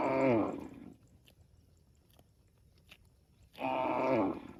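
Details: Tame cow mooing to call its extended family: two drawn-out, nasal moos with rich harmonics and a slight falling bend, about three seconds apart, a quiet pause between.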